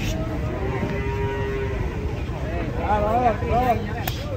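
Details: Cattle kept for sacrifice, filmed in 2024 running wild: drawn-out wavering moos with a wobbling, rising and falling pitch, loudest near the end, over constant crowd chatter and background noise.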